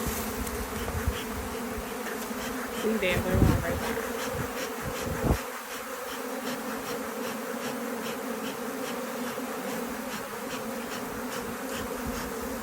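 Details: Honey bee swarm just caught, being shaken and smoked into place: a steady, low droning hum with layered harmonic bands holds throughout, broken by a few knocks and thumps around three to five seconds in.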